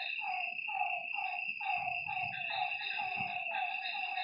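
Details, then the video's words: Night frog chorus at a lake: clipped descending calls stack up quickly, several callers overlapping, while insects keep a high unbroken whine and faint low thumps sound in the middle. "Lakeside night creatures and frog sounds"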